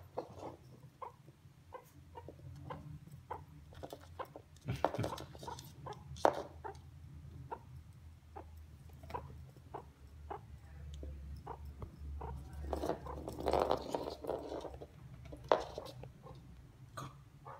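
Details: A pet meerkat gives a quick run of short, clicky chirps over a steady low hum while treating a golf ball as if it were an egg.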